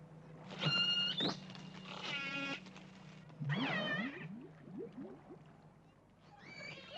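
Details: Killer whales give harmonic, squealing pulsed calls with rising and falling sweeps over a low hum, possibly the recorded exchange between a captured orca and its pod, replayed through an underwater loudspeaker.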